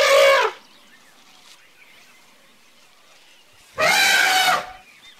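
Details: Playful baby elephant giving two short, bright, harmonic hoots, one at the start and one about four seconds later, with near silence between them.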